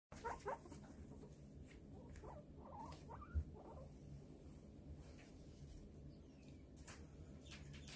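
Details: A guinea pig (Cavia porcellus) gives soft, brief squeaky chirrups at irregular intervals over a low background hum.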